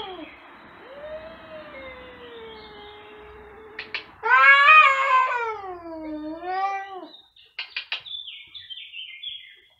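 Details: Loud, insistent meowing from two domestic cats: a long wavering meow with a rising and falling pitch, then a louder, strained yowl arching up and down, followed by several short clipped calls.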